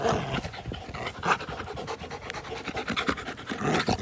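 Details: Dogs at play, an American Pit Bull Terrier with a Belgian Malinois cross, recorded April 21, 2019: steady rapid panting throughout, broken by short scuffling bursts and rustling.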